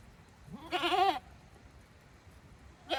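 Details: Goat bleating on a goat farm as the herd returns to its pens by itself, 5 December 2023: one loud, wavering, harmonic bleat rising then falling, then another starting sharply at the end over quiet background.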